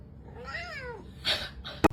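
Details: Kitten giving a single short meow that rises and then falls, followed by a burst of rustling noise and a sharp knock, with low background hum throughout.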